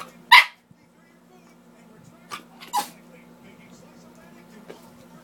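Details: A balancing chihuahua waits patiently for her treats and lets out one loud, sharp yap, then a softer double yap about two seconds later, with a faint low hum and quiet room sounds between.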